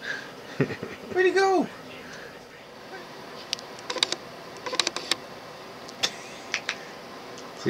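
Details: Australian Cattle Dog mix named Puddy, indoors, reacting to his reflection in a mirror and camera lens: a short rising-falling whine lasting about half a second, with a person repeatedly asking where he went and soft clicks and taps afterward.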